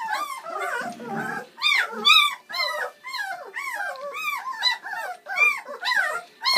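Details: Seven Bernese Mountain Dog puppies, born Valentine's Day 2013, whine and yip during their first ever feed on Mothering Sunday; a dense chorus of high, arched whimpers overlapping one another nearly every half second, with a brief low rumble early on.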